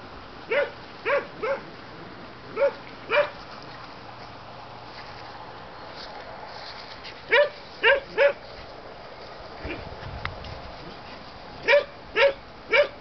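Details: German Shepherd puppies from the Aqua and Tiger litter, born 7/6/2012, giving short high yappy barks in scattered bursts of two or three, with quiet pauses between groups.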